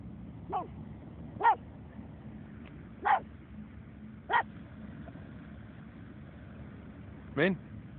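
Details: Pug at the beach barking five times in single sharp yaps at irregular gaps, with a constant low rumble underneath and no other clear sounds.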